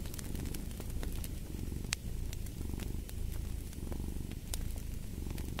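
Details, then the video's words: Low, vibrating purr from a cat, rising and falling in regular breath-length waves, accompanied by intermittent snapping crackles from a fire in a fireplace. "Purring of a Cat"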